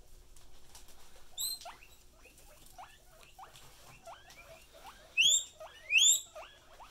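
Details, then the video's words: Pet guinea pig giving a few loud, high, rising wheeks near the end, over a steady patter of soft squeaky chirps and background rustling. "Does A Wheek Wheek"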